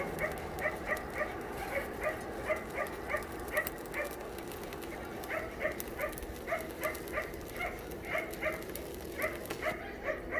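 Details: Shelter dogs at Yangsan Mindeulle Shelter barking during a volunteer visit: short, sharp barks repeated several times a second in an uneven, continuous run, several animals overlapping against a noisy kennel background.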